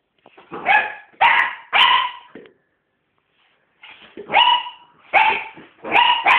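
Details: Female Sealyham Terrier barking in two bursts of three sharp, harmonic barks, separated by a silent pause of over a second; no other clear sounds.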